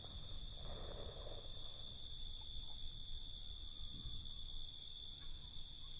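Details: Crickets calling at night in a dense, even, high-pitched trill that never stops. Low, muffled background rumble throughout, with a brief soft burst of mid-pitched noise early on.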